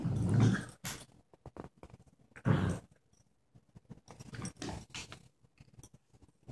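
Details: English springer spaniel puppy playing with a cockapoo, two low rumbling growl bursts under a second long, separated by about two seconds, followed by softer scuffling and panting noises from the play.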